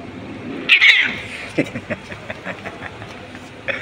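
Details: Hungry stray kittens found on the street, fighting over a single fish they were fed and meowing for food; a strained high wail followed by a string of short scratchy cries and clicks.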